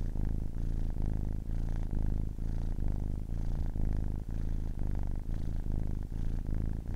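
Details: Ten-week-old kitten giving a loud, even purr, a rich low rumble rising and falling with quick regular breaths, indoors and otherwise silent.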